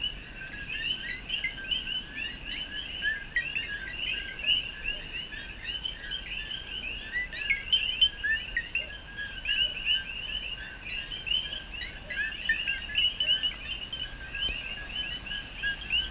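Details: Male coqui frogs in a Puerto Rican jungle call together at sundown in light rain, around 68–69°F, each giving a quick two-part 'co-qui' chirp rising in pitch, overlapping continuously in a mating chorus, quieter than in summer.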